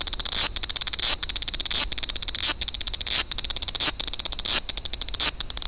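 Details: Large brown cicada at Toyanogata Park. Shrill pulsed sizzling rasps come in phrases about two-thirds of a second long, each separated by a short gap, in an even repeating rhythm.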